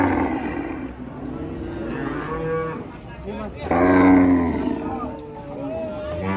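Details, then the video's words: Angry cattle, part of a compilation of raging cows: drawn-out, wavering lowing calls, with a louder, rich bellow near the middle, over a constant low rumble. "SAPI NGAMUK"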